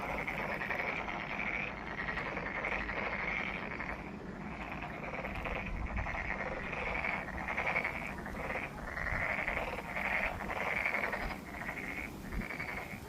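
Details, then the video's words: A frog chorus fills Monet's Pond in Ulsan National Garden, South Korea. Raspy, pulsing croaks come in bursts of roughly one to two seconds, sometimes with brief gaps, from many frogs calling together. "울산 국가정원 모네의 연못 개구리 소리"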